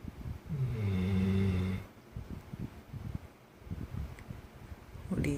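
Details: Tired Labrador Retriever named San sleeping after energetic play, one long low droning snore at the start, then softer rough rumbling breaths and a faint voice in the room.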